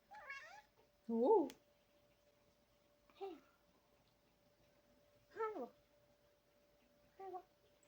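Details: Male Maine Coon Sette, a large house cat born July 2021, meowing indoors near mealtime: five separate meows spaced one to two seconds apart, each bending up then down, the second loudest, over a steady faint hum.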